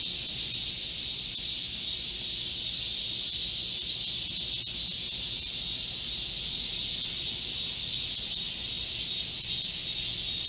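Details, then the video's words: Midsummer cicada chorus in a green Korean forest, 25 July 2024, in a heatwave: a constant, sizzling high whine from countless insects, barely shifting in pitch or volume. "Korean cicadas, a chorus in a midsummer green forest | 한국 매미들의 한여름 초록 숲속의 합창"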